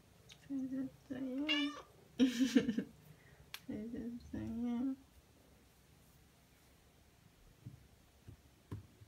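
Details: Two Ragdoll cats, aged one year one month and ten months, come in the morning to greet their owner on waking; several drawn-out harmonic meows in two bursts, then quiet room with faint taps.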